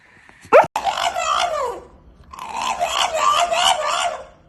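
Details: Sleeping dog 'talking' in its sleep: a sharp click, then a drawn-out falling whine, a short pause, and a longer wavering, moaning murmur with rising and falling pitch, like muffled mumbling.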